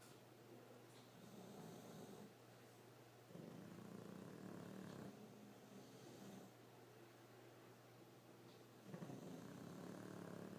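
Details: English Bulldogs sleeping and snoring: low rumbling breaths in long rough bursts with louder snorts, steady background hum throughout.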